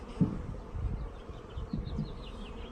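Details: Honey bees from a shipped package being installed into a hive, delayed in the post and out of food; a low, rough droning hum with soft thumps, faint high chirping drifting above.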